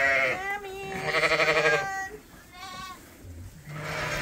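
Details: Lambs at Ewetopia Farms, still on their mothers but topped up twice a day from a hand-made bottle feeder, bleating. Loud harmonic cries, one wavering and trembling for nearly a second, followed by shorter bleats, with a person's voice in the pen.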